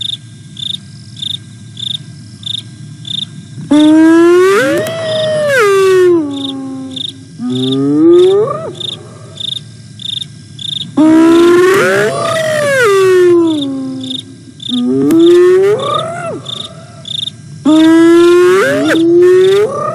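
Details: Hyenas Aggro and Spoon contact calling on a camera in the fenceless Sabi Sands Reserve beside Kruger National Park, South Africa, 8 September 2022. Loud drawn-out whoops swoop upward in pitch, about four bouts, over steady pulsing cricket chirps.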